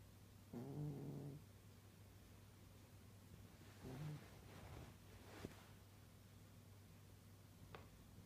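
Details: An old pet cat asleep and snoring: a deep, rasping snore near the start, a shorter softer one later, a few faint rustles and clicks, and a steady low hum throughout.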